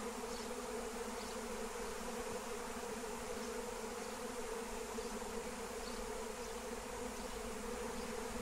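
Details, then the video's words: Massive wild honey bee swarm captured with lemon balm, an even, unbroken buzzing drone with strong harmonic bands and no pauses, faint bird chirps barely audible behind it. "Honey Bee Swarm Capture with Melissa plant"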